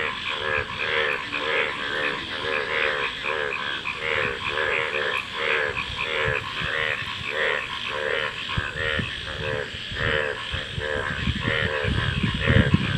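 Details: Chorus of frogs giving rhythmic, pulsed croaks in quick overlapping bursts about twice every second, with a constant hiss and some low rumbling thuds toward the end.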